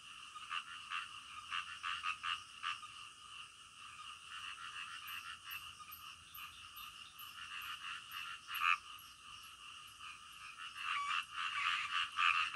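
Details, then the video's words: Frogs calling at night, softer and more distant: irregular raspy croaks fading in and out, a quick series of high faint ticks midway, louder croaking returning at the close. "SUARA KODOK DITENGAH MALAM"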